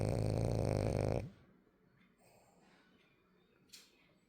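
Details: A sleeping French Bulldog lets out one loud, rasping, low snore lasting just over a second. Near silence follows, broken only by faint breathing and a soft click toward the end.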